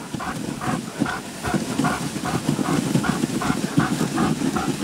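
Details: Alaskan Malamutes Guizmo, Coleen, Urok and Cazan pulling a sled in snow at Payolle on 31 January 2012; steady rhythmic panting bursts at about three per second, with low rumbling sled and footfall noise underneath.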